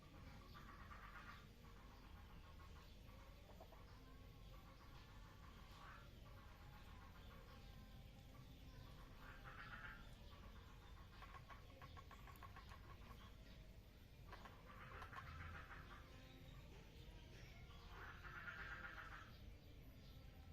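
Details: Mating frogs in a water lily pond, with soft raspy pulsed croaks arriving in separate bursts every few seconds, several callers overlapping against a constant low hum.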